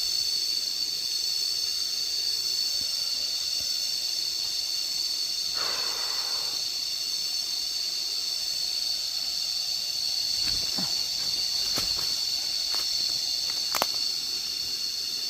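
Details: Cicadas crying while someone walks and lies listening outdoors: a continuous, shrill, even high-pitched drone with no breaks, joined near the end by a few sharp clicks and knocks.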